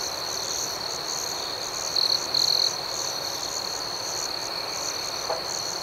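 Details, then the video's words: A nocturnal outdoor chorus of crickets, steady high ringing and quick repeated chirps, interrupted by two short loud trills from a nearby cricket, the second slightly longer than the first. "Soothing Cricket Sounds"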